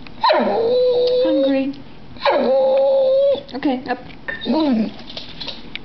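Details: Pet dog "talking" when hungry, asking for food: two downward-swooping, howl-like moans that settle into level tones, then a few short wavering whines, with faint human speech in the background.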